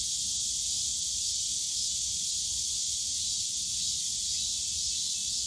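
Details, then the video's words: Cicadas in the bamboo grove of Yongsan Family Park, Seoul area, on a summer day, fill the air with a dense, unbroken high-pitched buzz. A faint throbbing pulse runs through it, with soft low park rumble beneath. "용산가족공원 대나무숲 매미소리"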